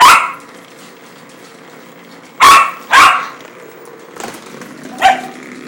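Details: Tiffa the dog is excited over a toy. A loud bark opens the sequence. After a pause, two quick barks come close together, then a softer, shorter bark and a final clipped one, against a low background hum.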